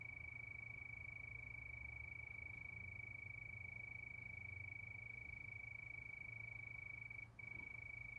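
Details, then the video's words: Night chorus of crickets under the moon: one constant, shrill buzzing tone runs without pause, with a soft low hum underneath and a brief dip near the end. "Sound of Crickets"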